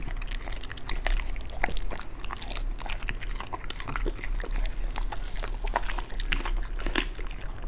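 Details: A Beagle chews raw food indoors, including chicken leg, duck gizzard and pork liver; rapid crackling bites and squelchy mastication continue throughout, loud and close, over a steady low hum.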